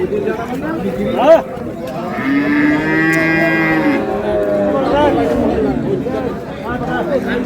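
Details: Dairy cow at Ambari haat livestock market, 15 April '26, among cows and calves for sale; one drawn-out, rich, even moo of nearly two seconds, framed by people bargaining and crowd talk.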